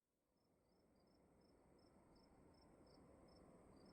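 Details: Crickets calling inside a room: short, high, clean chirps repeated several times a second, two callers alternating at slightly different pitches, fading in from silence over a steady low hiss.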